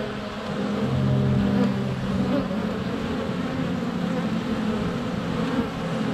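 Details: Bees flying close to the hive entrance on a sunny February day, GoPro just inches away: low, rumbling steady hum with a louder deeper drone swelling early on, passing buzzes throughout.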